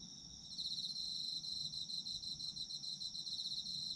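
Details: Autumn insects calling: a thin, continuous high-pitched ring, joined after half a second by a brisk, evenly pulsing trill that carries on to the end, with a faint low rumble beneath.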